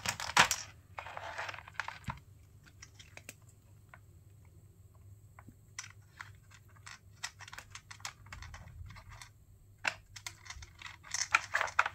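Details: Indoors, scattered sharp clicks, taps and rustling scratches come and go over a faint low hum, with no animal call.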